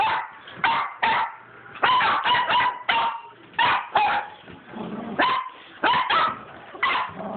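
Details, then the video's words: Pet dogs playing with a tennis ball up and down a hallway indoors; sharp repeated barks and yips come in quick bursts, roughly one or two each second, with skittering and thumping between them. "My crazy dogs and a tennis ball"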